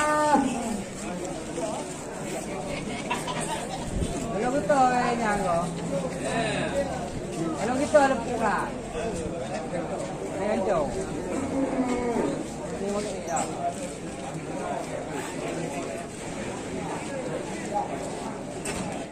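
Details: A jumbo cow loose at a market causing a commotion, giving drawn-out lowing moos that rise and fall in pitch, mixed with a crowd of people chattering and shouting nearby.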